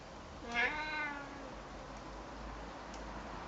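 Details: A very talkative, friendly male Siamese cat, answering a person talking to him, gives a single drawn-out meow that rises sharply and then slides down.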